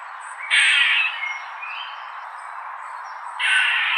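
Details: Squirrel calling: two loud, harsh, raspy squawks about half a second long, near the start and the end, with softer scratchy calls between them.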